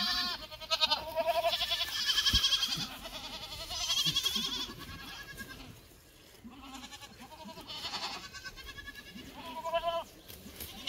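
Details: Goat farm in Gimhae, South Korea, 12 July 2024, with black goats calling: a series of loud, nasal, vibrato bleats from several animals, overlapping and pausing briefly midway, over constant shed hum.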